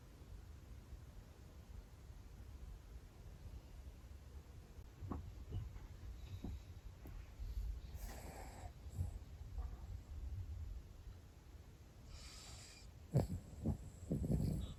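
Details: Pomeranian brothers asleep indoors, snoring: soft, irregular breathy snorts and snuffles that grow into louder, rougher bursts toward the end, over a low steady room hum; some snores startle the owner.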